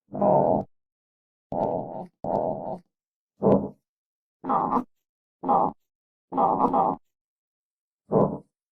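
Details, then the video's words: Armadillo grunting in low, raspy bursts, eight over nine seconds, some short and sharp, others longer and wavering, with silence in between. "Real Armadillo Sounds"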